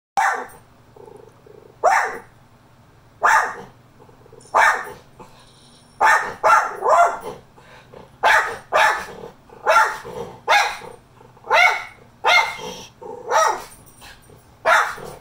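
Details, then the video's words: A Miniature Schnauzer barks in sharp bursts, often in quick pairs, with brief pauses between, on seeing another dog. "Miniature schnauzer barking"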